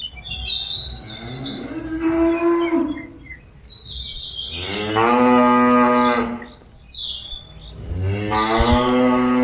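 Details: Cattle calling their companions back to the pen, giving three drawn-out harmonic moos, the middle one loudest and longest, spaced a few seconds apart, with bird chirps between the calls.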